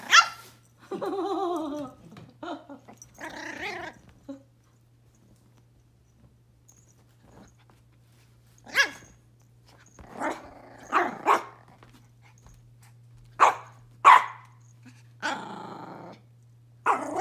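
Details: Indoor Pomeranian puppy barking in scattered sharp bursts, several close pairs in the second half, after opening seconds of a person talking; low hum throughout.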